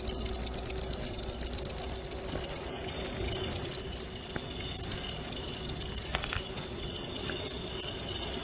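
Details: Cricket tutor recording for teaching white-rumped shamas, played at night and at dew time; continuous high, buzzy pulsed chirping, slightly uneven in loudness, with a few faint clicks beneath.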